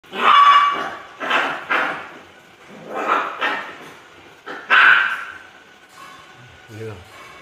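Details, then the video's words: Poodle dog giving a series of short, harsh barks in bursts roughly a second apart, with a faint thin whine trailing after one bark and human voices mixed in. "Chó poodle"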